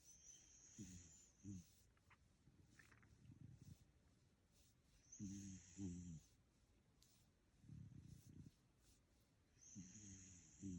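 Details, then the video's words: Soundly asleep, a dog snores in slow cycles. Each exhale brings a buzzy, low rumble broken into short pulses, and each inhale a faint high-pitched nasal whistle. The cycle repeats roughly every four to five seconds. "My dog max snoring"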